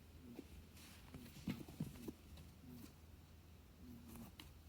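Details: A female Holland Lop rabbit named Mikan keeps vocalising nonstop after reuniting with her owner following days apart. Brief low hummed grunts come in clusters of two or three, separated by clicks, taps and quiet room noise.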